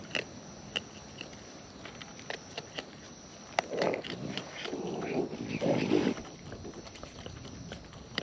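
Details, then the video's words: Raccoons in the wild feeding at close range, with rapid wet chewing and crunching in quick, uneven bursts, thickest in the second half, plus scattered sharp clicks and a low background hiss. "Wild Raccoons & ASMR Chewing Sounds"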